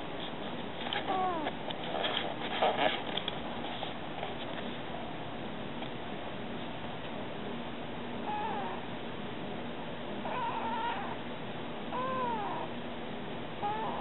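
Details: Stray kitten talking to people, giving scattered soft meows, some rising and some arching, separated by pauses, over a constant noisy hum with brief rustling near the start.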